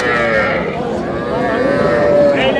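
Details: Heifer calf at a Bangladeshi cattle market, bought by a farmer from Madaripur: one sustained, fairly high, tonal moo, steady and slightly wavering, with men haggling over prices close by.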